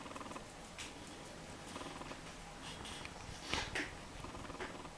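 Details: Male Jack Russell Terrier puppy, nine weeks old, at play with a ball and squeaky toy: brief throaty growl bursts early on, then scattered sharp clicks and knocks from the toys and floor.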